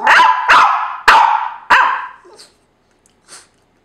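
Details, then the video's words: Indoor pet dog protesting, likely over another dog sleeping in his place: four loud, rough barks in quick succession, each fading out, followed by quiet with a couple of soft faint sounds. "Judah's Lament"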